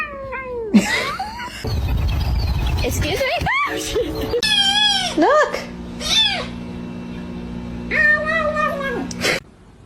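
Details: Kittens meowing: a series of drawn-out, bending meows, some rising then falling and others held level, spread across ten seconds over background music, voices and a steady low hum.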